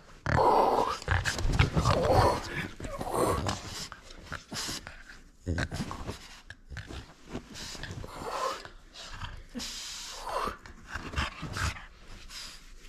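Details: French Bulldog at play indoors, refusing to give up a toy: loud rough snorting growls in bursts at the start, then quieter huffing, snuffling and panting breaths in an irregular rhythm through the rest.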